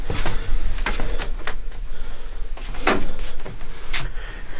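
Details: Dull knocks, rattles and low rumbling from doors or a vehicle, with no animal voice.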